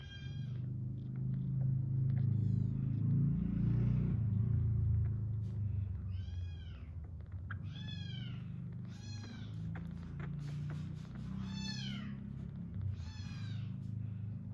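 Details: Six-day-old rescued kitten purring as it is stroked: a low, steady rumbling purr fills the first five seconds, followed by about six high, arching mews spaced a second or two apart over faint handling noise.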